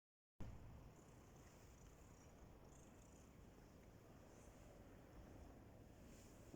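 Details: Domestic cat purring while competing with another cat for attention indoors; a steady low rumbling drone with no gaps, plus faint higher hiss above it throughout.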